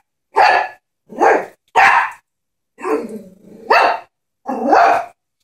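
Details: Chihuahua barking at a stuffed toy horse that scares it: quick, sharp barks, one stretched into a sliding growl, about six barks in five seconds.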